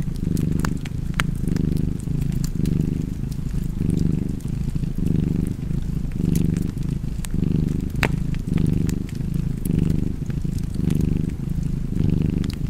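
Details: Cozy purring cat by a crackling fireplace, its deep, steady rumble rising and easing in breath-length pulses about once a second, while snapping wood pops and ticks sound throughout.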